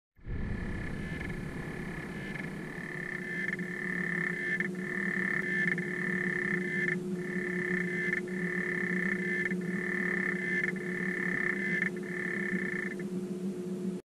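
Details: Two captive male African clawed frogs, raised from eggs, sing in bright, metallic ticking trills, bursting two or three times a second with brief pauses between runs, over a constant low droning hum.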